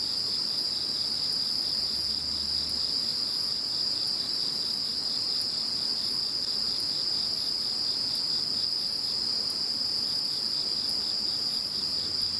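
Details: Insects calling once Typhoon No. 21 had gone: continuous high-pitched ringing trills in several layers, a brighter top band swelling at regular intervals, over a softly pulsed lower trill.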